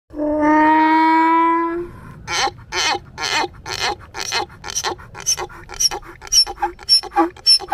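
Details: A donkey braying in rough, broadband bursts repeated about twice a second, each with a harsh rasp. A steady sustained musical tone with many overtones plays before the braying begins.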